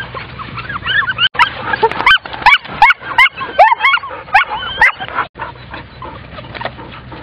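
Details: German Shorthaired Pointer puppies crying at the water: a chorus of high, wavering whimpers and yips overlapping from several pups, rising and falling in quick bursts, with a steady low hum beneath.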